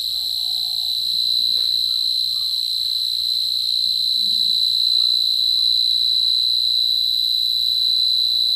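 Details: Continuous high-pitched cricket trill, even and unbroken throughout, with a few faint, soft low sounds behind it.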